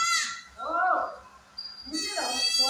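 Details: Kodi goat farm at Kadayanallur, Tenkasi district, where a doe gave birth to four kids: two high, thin, wavering bleats, one opening and one closing, around a lower, rougher cry, with a person calling nearby.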